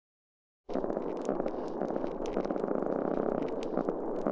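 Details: Spotted seatrout spawning sound in an estuary, recorded by passive acoustic monitoring: a longer grunt dropping in frequency plus a dense, low, rumbling run of rapid staccato pulses.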